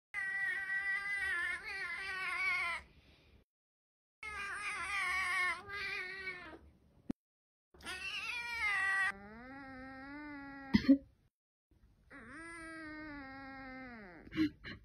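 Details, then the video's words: Domestic cat meowing in a run of long, drawn-out calls with rich harmonics, several wavering and a few sliding downward, separated by short silences; a sharp click is heard partway through. "listen to me hooman"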